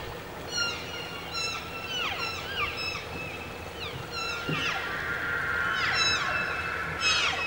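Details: Bull elk (wapiti) bugle in forest in early September at the start of the fall rut, with high, whistled calls that sweep up, hold, then slide down, repeated several times, as challenges to bulls and invitations to cows.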